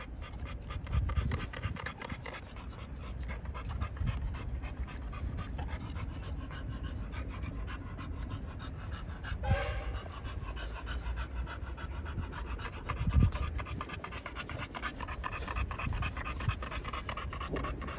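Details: Male pocket American Bullies at a Romanian kennel breathing hard, steady fast panting across the whole stretch, a brief sharp knock and a low thump partway through.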